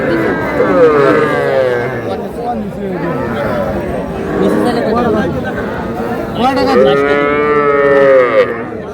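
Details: Calves, young bulls and heifers, at a Madaripur livestock market; repeated wavering moos overlap with men talking and haggling, a louder bellow rising near the end.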